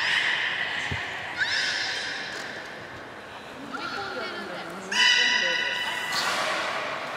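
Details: Beluga whale in an aquarium pool at Nagoya Port Aquarium, Japan, 30 March 2019, while eating fish and playing. Faint tonal squeals give way to a stronger, steady harmonic whistle near the end. Visitors talk throughout.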